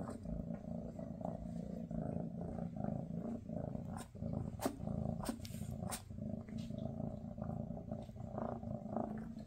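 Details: Maine Coon mother Freya spending a last day with her kittens before they move to new homes: a steady, low rumbling purr runs throughout, broken by a few sharp clicks and rustles.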